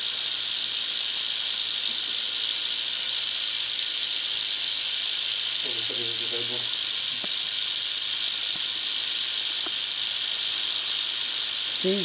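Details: Captured female Southern Pacific rattlesnake near Whitewater, California, after sunset on a warm evening, rattling furiously: an unbroken, dense, sizzling buzz runs the whole time, with brief human speech in the middle.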